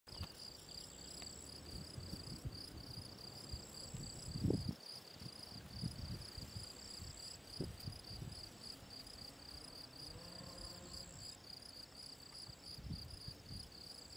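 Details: Field cricket, Gryllus campestris, recorded 18 June 2023 at the ponds in the Draga valley: high chirps pulse steadily, with a fainter high whine in places and loud low rumbles and thumps underneath, strongest near the middle.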